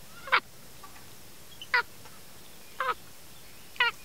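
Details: Little monkey chewing corn near a fence gives sharp harmonic chirps, four short calls spaced roughly a second apart, some with a falling tail, over a quiet background.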